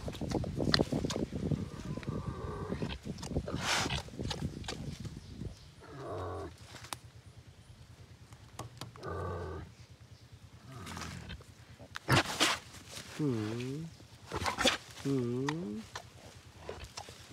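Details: Wild boar piglet giving a run of harsh grunts and squeals, then two loud wavering, rippling squeals near the end, over a steady low hum throughout.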